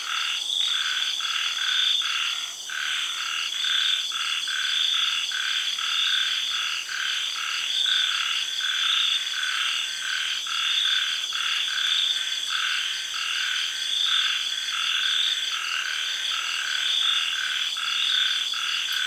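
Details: After the early rains in Thailand, frogs call at night in a tropical garden, giving repeated short croaks in an uneven rhythm beneath a constant high-pitched whine of cicadas and insects.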